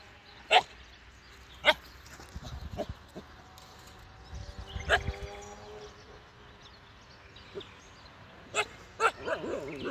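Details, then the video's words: Young Siberian Husky puppy barking at sheep: sharp, high yipping barks scattered irregularly, several spaced a second or more apart, over faint background noise. "Bruit de chiot qui aboie"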